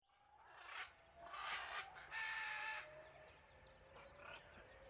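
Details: One-month-old tuxedo kitten calling: a few drawn-out, tonal cries with steady harmonics, the middle ones louder and noisier, trailing into a soft, lower held tone over faint background hiss.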